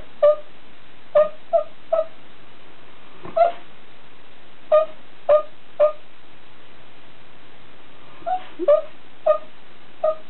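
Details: Golden Retriever during its daily nap, sleeping with eyes open, making occasional snore-like, hiccup-like, twitch-like noises: short squeaky tonal blips, about a dozen at uneven intervals of roughly half a second to a second and a half, in a quiet room.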